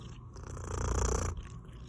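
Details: Short burst of low, rumbling purring from Milli the cat, swelling louder in the middle before easing off.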